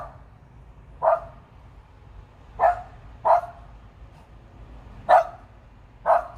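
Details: Jenny the dog keeps barking at a big bird, likely a turkey vulture, high in a tree: five brisk single barks at uneven gaps, quiet between them.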